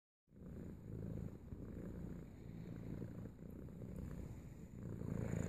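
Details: A domestic cat purring while welcoming its owner home from work; a steady, low rumbling purr runs continuously from start to end with gentle pulsing, after a brief silent start.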